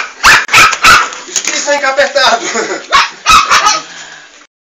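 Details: Energetic Fox Terrier puppies yip sharply at the start and end, with a human voice speaking between the bursts of shrill barking.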